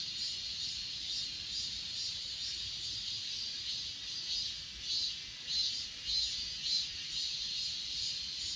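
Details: High, continuous trilling of grass insects on Achasan, recorded with an S20 Ultra, with a few brighter chirps rising out of the chorus near the end at a slow regular pace.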